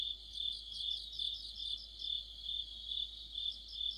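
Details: Crickets and other insects chorusing in the middle of autumn, near a streetlight: dense high trilling band with rapid pulsed chirps layered above, swelling in regular waves about twice a second, several callers overlapping.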